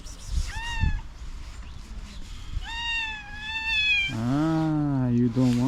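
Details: Domestic cat angry at another cat: two high drawn-out meows, then a long, low, wavering moaning growl that holds to the end, with a person's voice faint in the background.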